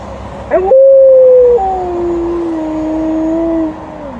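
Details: Alaskan Malamute giving a very long howl while out walking: a sharp rising onset, then a sustained clear tone that drops to a lower, steady pitch and slowly sinks before fading out after about three seconds.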